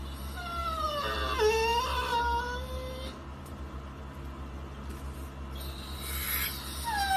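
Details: American Bully dog giving drawn-out, moaning whines that slide downward in pitch, with two overlapping tones around 1.5 seconds, then a pause and a brief rising whimper near the end; a steady low electrical hum runs underneath.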